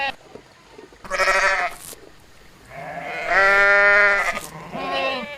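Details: A sheep on a sheep farm bleats three times, each a wavering, nasal baa rich in harmonics.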